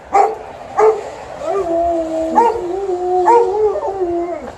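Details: Alaskan Malamute. Two sharp yelps open, then an Alaskan Malamute settles into a long, low, gently wavering howl. A second dog joins with higher, sliding notes, the two voices overlapping like a duet.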